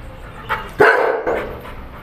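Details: Pit bull dog at play during a fetch game, giving two short, rough barks about half a second apart, the first louder and sharper, over a quiet indoor background.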